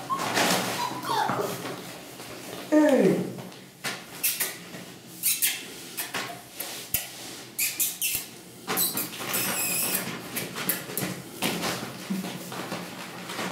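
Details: Five-week-old Cane Corso puppies from the litter of Xena and Djengis: one loud, sharply falling whine, then scattered short high squeaks and soft whimpers, with clicks, handling noise and a person talking in between.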